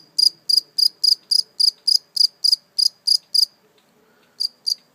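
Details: A single live, wild-caught cricket, later released, gives steady, high-pitched chirps in quick succession, each a short trilled pulse.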